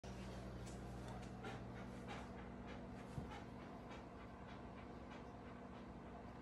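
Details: Doberman Pinscher dog wearing bunny ears for Easter, panting quickly and rhythmically, about three breaths per second, as soft breathy bursts over a steady low hum.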